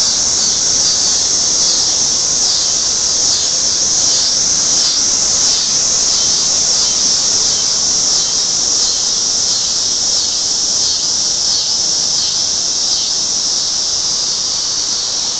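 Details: At night, cicadas in full song give a dense, shrill, continuous buzz that pulses slightly in waves.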